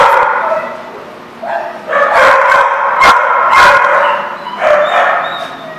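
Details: Several dogs at The Barking Lot, 24 March 2014, bark in a noisy, overlapping chorus of loud, harsh barks that swell and fade over a few seconds.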